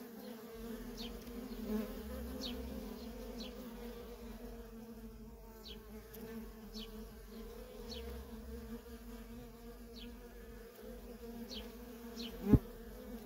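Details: Feral colony of honey bees with workers in constant traffic. A steady buzzing drone runs under sparse high, falling chirps, and a sharp knock sounds near the end.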